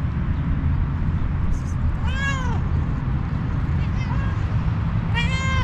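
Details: A kitten gives two clear, rising-then-falling meows about three seconds apart, with a fainter short mew between them. A constant deep rumble fills the background.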